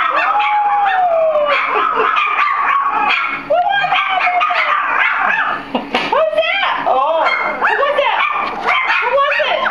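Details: Litter of four-week-old Soft Coated Wheaten Terrier puppies howling in reaction to a strange voice, overlapping wavering howls and squeaky yelps, a voice heard among the puppy cries throughout.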